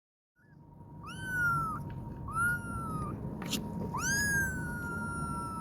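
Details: A kitten calls for its mother cat with three high, thin meows, each rising quickly then sliding slowly down in pitch.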